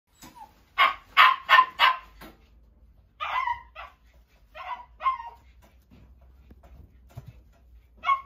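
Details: Miniature Pinscher at a pet shop barking: a quick run of four sharp, high barks, then a pause and several scattered, shorter yapping barks, in a quiet room.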